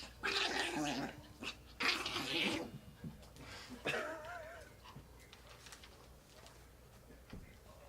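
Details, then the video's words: Riled-up pet chihuahua in a house, making strange noises: two loud raspy growling bursts followed by a wavering, warbling whine, then fading quiet snuffles. "Little Dog Makes Crazy Noises"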